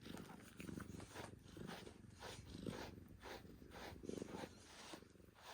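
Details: Male calico cat being brushed, giving a low rumbling purr under repeated rough scratchy strokes of the brush.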